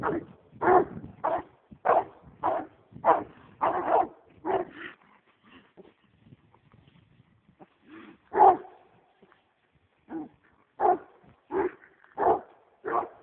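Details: Excited American Leopard Hound on a roll cage, going after a raccoon, in a rapid run of loud barks, then a quieter pause with soft whines, then steady barking again.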